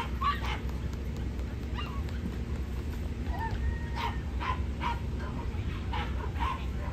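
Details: Female Corgi at the Niigata Prefecture club federation dog show on 11 June 2022, during Best of Breed judging; short sharp barks scattered through the clip, about eight in all, over a steady low hall hum.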